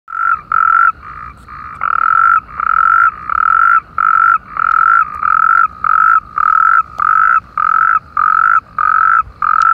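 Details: Chorus of natterjack toads in irrigation canals opposite Perales del Río, Parque Lineal del Manzanares: loud, rasping trilled bursts about half a second long, repeated in quick succession with short gaps, overlapping callers.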